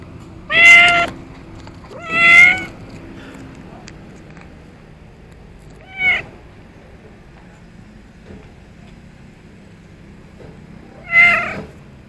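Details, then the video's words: Orange-white cat found in front of a row of shops, sitting by a car tire and meowing while waiting to be fed; four clear, rich, harmonic meows, slightly rising then falling, spaced irregularly over low background hum. "Orange White Cat Meowing Me For The Food In The Cutest Way Ever"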